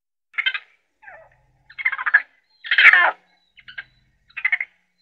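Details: Raccoon making varied short chitters and squeaky, grating notes in quick uneven bursts, one louder scratchy squeal near the middle, in a quiet setting.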